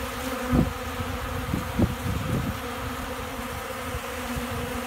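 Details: Hungry honey bees feeding like crazy from a keeper's hand in Central Alabama on a windy day before rain and storms; steady low droning hum with sharp wind thumps and gusts.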